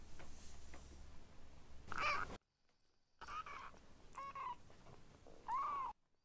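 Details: Foster kittens Ashiro and Akuro, rescued babies learning to eat weaning food indoors, give short high mews around two seconds, then three more thin rising-falling mews later, with household rustling and gaps of silence.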